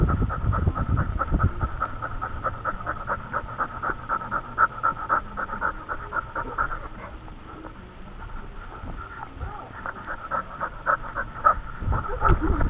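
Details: Dog panting rapidly and steadily, recorded by a camera worn by the dog; quick breathy pants, about four per second, with rustling and handling noise throughout.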